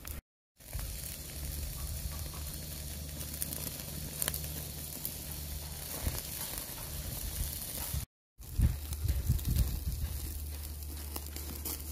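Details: Meat sizzling and crackling on a grill over a low steady hum, broken by two brief silent gaps.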